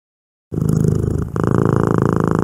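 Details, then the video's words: Domestic cat purring: after half a second of silence a steady low rumbling purr begins, shifting to a fuller, slightly louder tone partway through. "CAT PURRING"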